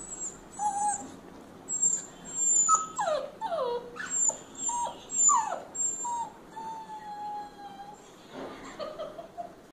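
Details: A male Rottweiler puppy whines in high, sliding whimpers, trying to convince his owner to release him.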